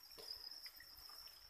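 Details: Farmed crickets (dế) kept for breeding in Vietnam give a continuous thin high-pitched trill at a steady pitch, with soft rustling and faint scattered clicks underneath.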